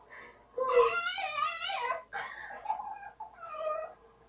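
A dog gives drawn-out, wavering, whine-like barks in three quick bursts.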